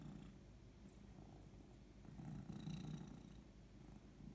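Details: Maya, a pet cat, purring steadily: a continuous low rumble that swells slightly toward the middle, with quiet indoor background.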